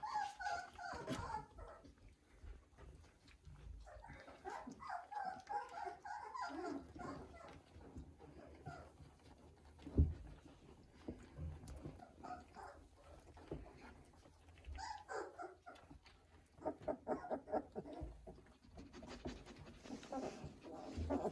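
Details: Eighteen-day-old Weimaraner puppies, newly finding their voices, whimper and squeal in overlapping rising and falling whines, loudest at the start and again in later bursts, with soft rustling between calls.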